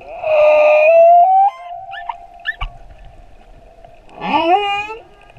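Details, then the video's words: Male humpback whale singing off Moorea: a long tonal moan sliding upward, short high chirps, then a rising harmonic whoop near the end. "Baleine à bosse - le chant du mâle"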